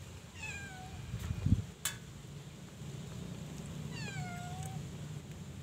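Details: Persian cat household where Molly, about three years old, has had her fifth litter, always four kittens; two thin, high meows gliding downward, roughly three seconds apart, with a soft knock between them over a low steady hum.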